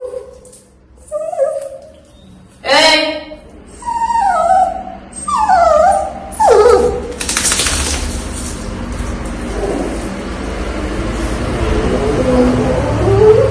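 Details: Pet dog whining during a bath: a run of short, high, wavering whimpers rising and falling in pitch, some bending sharply upward, followed by a steady hiss of rushing water or spray through the second half.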